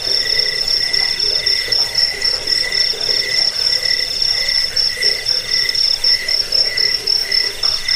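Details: Crickets chirping, used against rats, for falling asleep and for songbird training; an intense high shrill trill with a second, lower pulsing chirp repeating in short, even bursts, nothing else audible.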